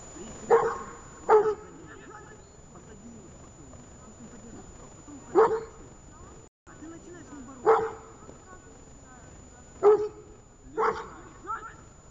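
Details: Dog barking during a training session in Horlivka on 31 January 2021; sharp, loud barks, single and in pairs, spaced a few seconds apart, over a quiet background with a faint steady high tone.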